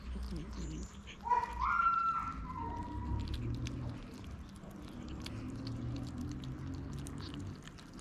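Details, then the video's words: Hungry stray kittens waiting for their mother's return and wanting to eat: one clear, slightly wavering meow rises and falls over about a second, with a few softer mews around it, then low rumbling background noise and faint clicks. "Kittens waiting for their mother's return want to eat."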